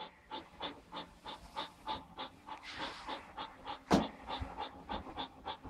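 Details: Belgian Malinois puppies of the Argalašov kennel during a training session on 20 January 2013, just old enough to walk; rapid rhythmic panting about three breaths per second, a brief sharp whine near the four-second mark, soft praise in the background.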